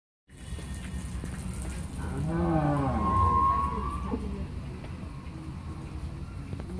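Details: Pregnant Holstein Friesian cow, eight months and 25 days in calf and in her second calving, at a dairy farm in Pabna, Bangladesh. She gives one drawn-out, rising then levelling moo of about two seconds over a steady low background hum.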